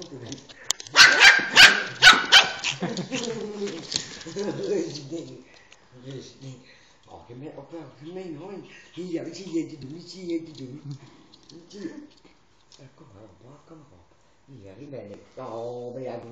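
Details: Pet Shiba Inu Emi at a first meeting with a family member's dog Zinzi; a rapid burst of about six sharp barks opens, followed by long stretches of human talking with scattered faint dog noises.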